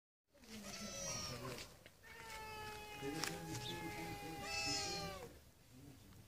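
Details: Stray cats living freely on the streets, resting in separate corners of a garden; long drawn-out meows with steady harmonic tones lasting several seconds, overlapping with a person speaking softly in the background.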